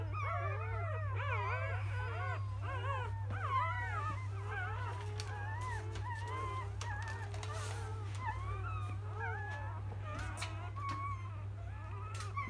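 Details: Newborn field Labrador Retriever puppies of biscuit, 2017 JFA Grand Champion, fed and settled in the morning: overlapping wavering whimpers, rapid at first and then sparser and softer, with scattered clicks and a continuous low hum.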